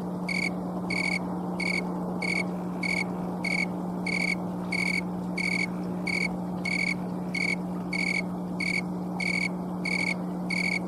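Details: Late-season snowy tree cricket, also called green tree cricket, rubbing its wings in Colorado on an afternoon of October 11, 2022, recorded by camcorder. Evenly paced bright chirps, roughly seventeen, ring over a steady low hum.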